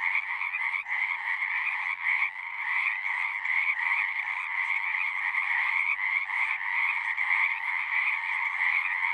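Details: A dense chorus of many frogs singing, natural night-style ambience: a continuous overlapping wall of trilled croaks in two steady bands, mid and higher, with no pauses and no other sounds.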